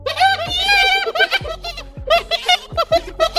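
A hyena gives high, quavering giggles in quick bursts, with music faintly underneath.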